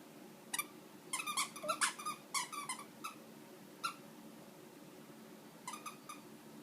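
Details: Wolfy, a Shih Tzu puppy, whines while squeaking his toy over and over; clusters of sharp high squeaks and thin whining tones come in quick bursts, then pause, with a quiet room behind.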